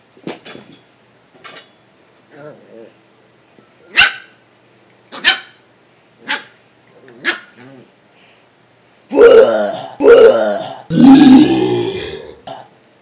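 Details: Black puppy on a dark couch indoors, teased by a young person: scattered yips and short barks, then three loud, drawn-out growling barks in a row near the end, with a person's voice between them.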